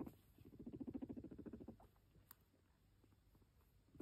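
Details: Pet guinea pig purring as it comes up to its owner: a low, rapidly pulsed vibrating rumble for under two seconds, then quiet room background with a faint click.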